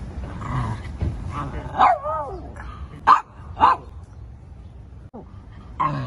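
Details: Shih Tzu dog barking in New York: a few short sharp barks scattered across the clip with gaps between, against a low steady background hum.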